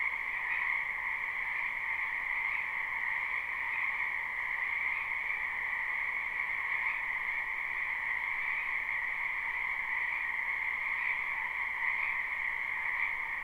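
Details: Frog chorus from a spring wetland, recorded live with no looping: countless overlapping croaks form a steady, shimmering trill with slight swells roughly every two seconds.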